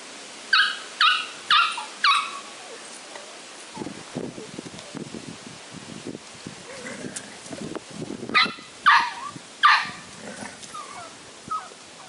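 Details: Six-week-old Flat-coated Retriever puppy with its mother. Three sharp, high, harmonic yelps at the start, then soft scuffling and faint whines, then another run of three loud yelps near the end.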